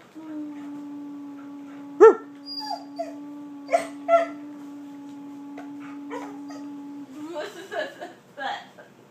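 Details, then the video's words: Border Collie 'talking' indoors, a long steady held tone running through most of the stretch, broken by short yelps and choppy whining syllables, with a burst of jumbled vocal sounds near the end. "border collie talking laughing"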